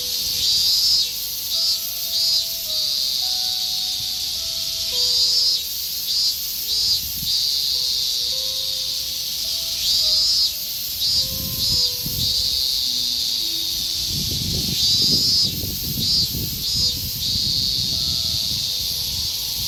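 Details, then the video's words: Higurashi cicadas in a Japanese summer: a shrill, high pulsing chorus that swells and fades in phrases of a few seconds, with faint melodic music playing underneath throughout. "ひぐらしの鳴く声 (セミ)"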